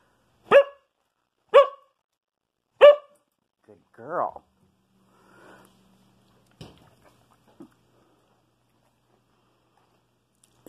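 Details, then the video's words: Female Siberian husky indoors, performing a trick of counting to three on command: three sharp, harmonic barks about a second apart, then a short wavering whine, followed by near silence with faint clicks. "Siberian Husky Counting Tricks"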